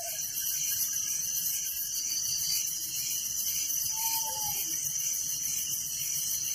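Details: Village crickets calling after dark in an unbroken shimmering high-pitched trill; a brief faint whistled note slips in past the midpoint.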